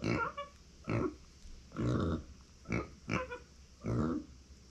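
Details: Female micro pig Uni calls indoors when her people are away: six uneven grunty squeals, about one per second, mixing short clipped notes with longer, rasping harmonic cries, against a faint room hum.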